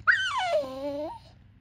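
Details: Female Cane Corso x Bullmastiff puppy, four months old, whining to ask for something: one drawn-out whine that starts high, slides down, then lifts slightly at the end, with no other sound.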